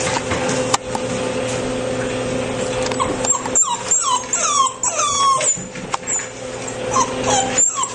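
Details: A 7-week-old male black Labrador Retriever puppy, one of a litter of 10, gives high, thin whimpers that slide downward over a steady background hum.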